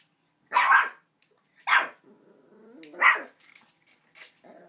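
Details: Small puppy named Buddy barking at a huge new dog bone longer than himself, excited and agitated indoors; three sharp, bright barks about a second apart, then softer yips and a faint growl at the end.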